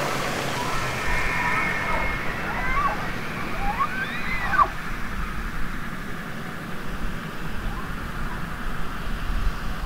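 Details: Elk bugling heard as several swooping whistled arcs that rise and fall in pitch, moderately faint, over continuous rushing water-like noise.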